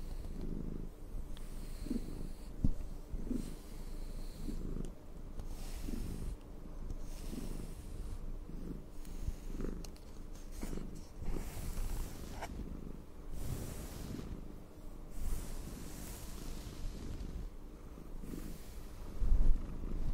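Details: ['Pet cat purring as it is brushed, a continuous deep rumble pulsing regularly about every second, with breathy swells and faint brush strokes throughout.']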